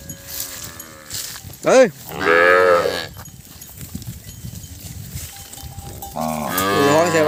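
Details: Calves unable to find their mothers calling in chorus: a sharp arching bawl, then a longer nasal moo, a quieter gap with distant lowing, and another sustained, wavering bellow at the end.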